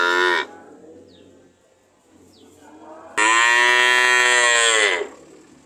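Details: Cow lowing: the tail of one moo, a quiet gap with a couple of faint chirps, then a long, steady, loud moo lasting nearly two seconds.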